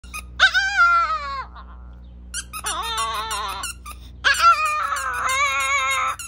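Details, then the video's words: Chihuahua singing indoors: two long, wavering, high-pitched howls with rich harmonics, the first sliding downward, the second fuller and sustained, separated by a quiet gap with faint squeaks; steady low hum beneath. "#singingdog #chihuahua"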